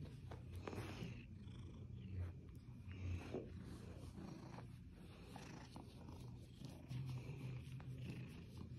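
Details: Rescued male Seal Point Siamese cat Skylar purring contentedly during snuggles; a deep, even rumble pulses with his breathing, accompanied by faint shuffling and soft taps.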